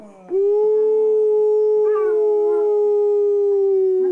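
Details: Angus, a Pit Bull, prompted to howl: a single sustained, steady howl that starts abruptly and holds an even mid pitch for nearly four seconds, with faint wavering overtones partway through.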